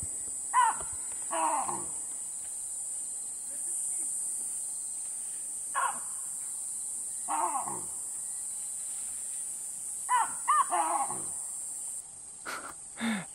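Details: Baboons screaming near a campsite at sunset in Caprivi, Namibia, loud enough to drown out voices; short harsh cries with sliding, falling pitch come in scattered pairs over a quiet background, with brief speech near the end.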